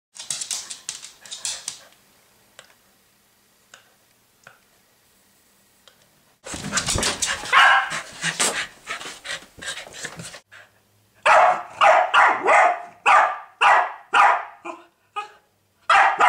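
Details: Pet dog barking at a pig during a bout lasting over an hour; a noisy, scrappy first stretch, then sharp, loud barks in quick succession, roughly two per second, with brief pauses between runs.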